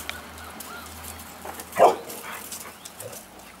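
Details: One short, sharp bark stands out from a group of many Golden Retrievers. It rises abruptly over a quiet, low background and is followed by faint softer sounds.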